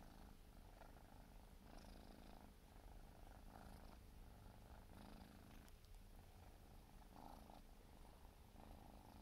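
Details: Siberian forest cat kitten, four months old, purring while grooming indoors; a steady low rumble runs throughout, with soft rhythmic licking or rustling bursts roughly every second or two.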